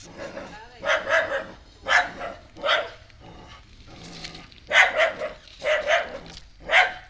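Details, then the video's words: Dog at home barking at a new stray puppy she did not like at first; repeated clipped barks in short groups, with a softer, voice-like stretch midway. "Dog keep on barking at the new puppy, a stray dog"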